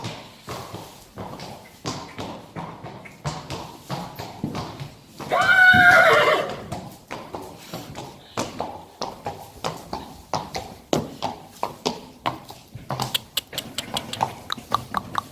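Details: Three-year-old Friesian horse colt playing outside gives one loud, roughly one-second whinny with strong harmonic bands midway, surrounded by rapid, irregular hoof clip-clops and thuds throughout.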